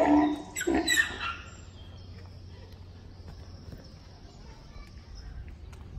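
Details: A male Grévy's zebra at Los Angeles Zoo screams while watching from the gate, unable to see the females and babies kept inside. Loud, harsh, braying bursts fill the first second and a half, then low background hum and faint distant sounds.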